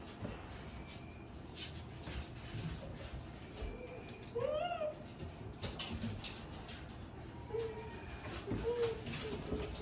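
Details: Tsukushi, a Japanese raccoon dog, cries out in joy as father tanuki comes to visit. Brief whining squeaks are followed by one wavering, rising-then-falling cry midway, then softer short squeaks over steady background noise.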